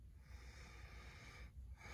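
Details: Prince Stannis, a 5-year-old pet English Bulldog, snorting at 6:37 in the morning while waking his owner for breakfast; a steady low, rumbling nasal snort with breathy hiss, briefly easing around the middle before resuming.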